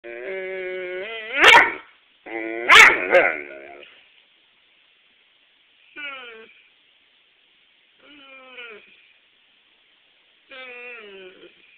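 A Weimaraner gives two sharp barks within long harmonic moans, then drawn-out, falling whines.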